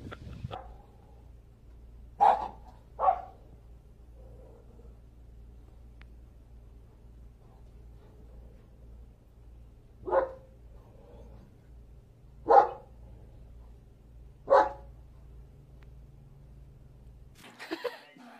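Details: German Shepherd giving short, sharp barks, five spaced irregularly over about eighteen seconds, two close together near the start, then three more after a long pause, over a quiet, low steady hum.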